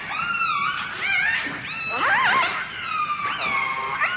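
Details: Killer whales from a Vancouver family, whose family groups each have a distinct learned repertoire, give squealing, harmonic-rich calls that swoop and rise steeply, several overlapping in quick succession with a brief wavering upsweep.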